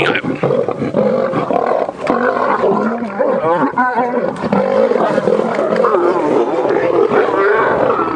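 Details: Lions of the Nkuhuma Pride and Birmingham Boys males snarl and growl loudly over a carcass at sunrise on 25 Nov 2016, Djuma Game Reserve, South Africa, with overlapping roars rising and falling, cubs joining in, and faint voices behind.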